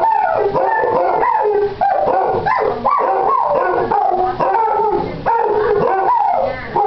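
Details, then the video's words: Pet Basset Hounds Boo and Basil trade howls one morning, the nearly eight-month-old Basil still sounding like a pup; dense overlapping yodelling howls with sliding pitch and brief yips. "One HOWL of a GOOD TIME!"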